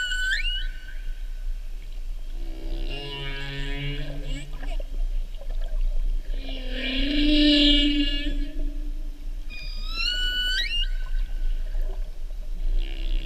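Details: A North Pacific humpback whale, recorded off Oahu during the 2015/2016 mating season, sings with rising whoops, low moans and upswept squeals in a flowing sequence.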